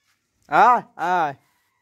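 A young goat gives two quick, wavering bleats in a row.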